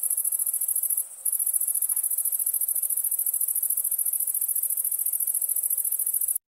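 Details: Nighttime crickets give a continuous shrill trill of rapid, even pulses high in pitch, with one short break near the start before the sound cuts off at the end.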